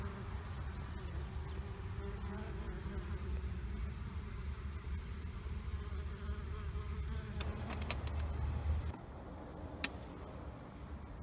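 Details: Two honeybee colonies living under a trailer in Panama City during removal: a continuous low buzzing drone that thins abruptly late on, with a few clicks and taps.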